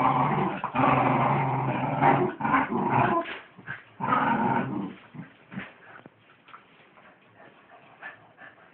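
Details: Wire Fox Terrier in a tug-of-war battle over a sock, growling hard in dense rasping bursts that break into short yips and whimpers, then fading to quieter scattered grumbles and scuffling.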